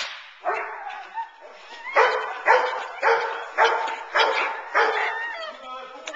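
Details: Teal, a nine-month-old Boerboel bitch, in protection training, kept off the sleeve to build intensity and focus on the man. Deep, harsh barks come roughly every half second in a steady volley, with a human voice in the background.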